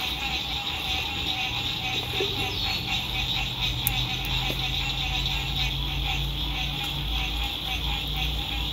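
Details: Frogs at a lake at sunset, spring 2021, recorded from a lakeside RV camp in fine weather; a thick high trilling chorus continues while a low engine-like hum from passing road traffic swells beneath it and one sharp knock sounds.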